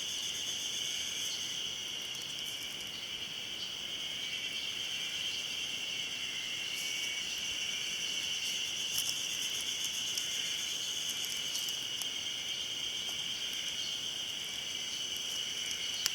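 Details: Ezo-haruzemi cicadas massed in song at Hayama, Nagai City, 24 May 2015, a long, even, shrill drone with occasional clicks and rustles layered over the constant buzzing.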